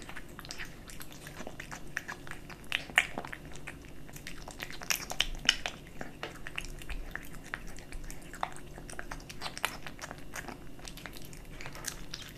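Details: Kitten eating dry and wet cat food, recorded close up indoors for ASMR: a steady run of sharp crunches and wet chewing clicks, closely spaced and uneven, over a faint low room hum.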